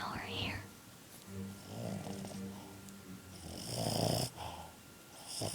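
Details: Boston terrier pup snoring while asleep: low, rumbling, buzzy snores in slow breaths, opened by a brief rising-and-falling whistled tone, with a faint steady hum and a human voice near the end.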